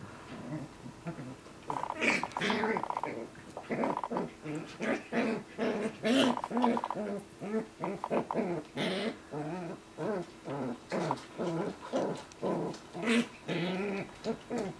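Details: West Highland White Terrier mother named Roxanne, indoors with her six-week-old puppies, teaching them how to be Westies; rapid pulsed growling and whiny yelps repeating about twice a second, with squeaky puppy cries mixed in.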